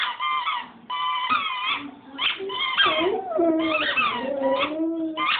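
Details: Chooch the dog singing, a run of high whining, wavering howls that slide up and down in pitch, with short breaks between phrases and a few lower drawn-out notes near the end.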